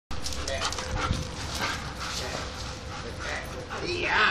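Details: German Shepherds romping in play give short yips, whimpers and rough barks, with a person talking over them.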